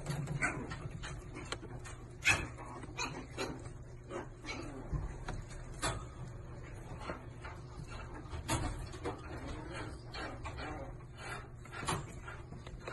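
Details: Chihuahua giving short, sharp yaps and thin whimpering notes at irregular intervals, some close together and others spaced a second or more apart, over a steady low engine-like hum.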